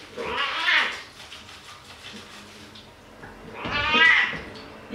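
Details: Domestic cat meowing while being given a bath indoors: two drawn-out, wavering meows about three seconds apart, the second longer and louder, with faint room noise between.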